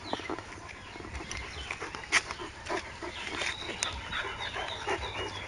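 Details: Rhodesian Ridgeback dog panting during happy play outdoors, a run of soft breathy puffs with brief snuffling noises, while small birds chirp faintly in the background.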